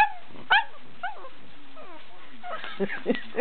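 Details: Pug howling and whining in dislike while bubble wrap is popped by a housemate Australian Shepherd. Drawn-out falling howls open the moment, then sharp bubble-wrap pops crackle in quick succession.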